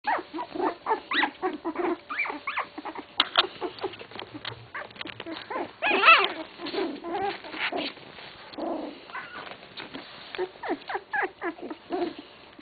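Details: Litter of English Cocker Spaniel puppies, 16 days old, giving overlapping high squeaks and short whimpers in a busy, near-continuous chorus, with one louder squeal around the middle and softer mewing toward the end.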